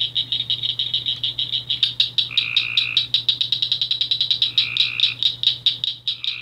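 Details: Cricket frog from Pelee Island, Ontario, calling between May and July; rapid high clicking pulses running throughout, joined midway by a second, lower buzzy trilling caller in two bursts.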